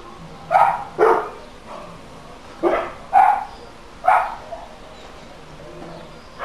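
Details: Problem dog barking logged during council noise nuisance monitoring, with a quick pair of barks, a pause, two more barks, then a single bark and a faint final one.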